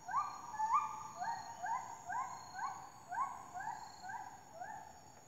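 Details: A howling monkey at Taman Negara, Malaysia, gives a long series of rising, whooping howls, each note swelling upward and repeated about twice a second.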